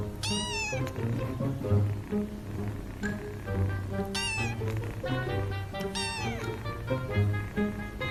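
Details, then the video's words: Cats and kittens giving a series of short, sharp meows, several quick rising-falling cries spaced a second or two apart, with steady music playing underneath. "Cats and Kittens MEOWING"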